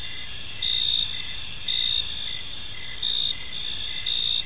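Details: Several crickets calling in a park as evening falls, bright high trilling with regular louder chirp bursts about once a second, steady and overlapping, quiet low ambient rumble.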